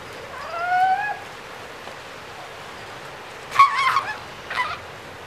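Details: Seal pups gathered in an ocean pool. One short wavering bleat with stacked harmonics comes first. Two harsher rasping bursts follow a few seconds later, against a quiet background.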